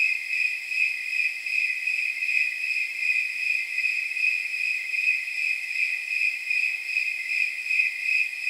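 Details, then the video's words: Steady night chirping of snowy tree crickets, known as temperature crickets, around 79 degrees: clear, high, jingling pulses evenly spaced at roughly two and a half per second, continuous throughout. "Snowy Tree Crickets 10 Hour Sleep Sound"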